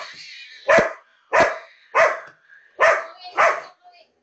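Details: Indoors, a female labrador retriever who hates cats barks at one displayed on a computer. Five forceful barks come at uneven intervals, with a faint whine at the end.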